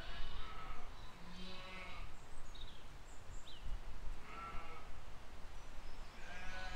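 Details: Flock of sheep with lambs grazing in a field, spring 2020; a few separate quavering bleats spaced a second or more apart over low rural background noise, with faint short chirps high above.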